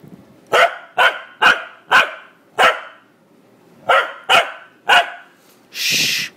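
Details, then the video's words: A male corgi gives a run of sharp, mid-pitched barks, then a person's hushing shh as he is told to be quiet. "Corgi Barking"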